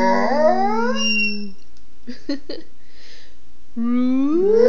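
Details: Basset Hound singing-style howl: a sustained, slightly wavering tone that fades out, a pause with a few soft clicks and snuffles, then a second howl rising steeply in pitch.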